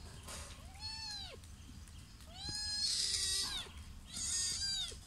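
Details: Sri Lankan cat mother and son calling: three drawn-out arching meows, each rising then dropping with rich harmonics, about every one and a half seconds, the later ones louder and brighter, faint hiss behind.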